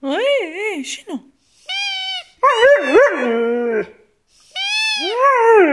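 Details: Siberian Husky Max, one and a half years old, talking back to a squeaking toy: wavering woo-woo vocal, then a long sustained moaning note and a rising yowl, interleaved with high, steady squeaks of the toy.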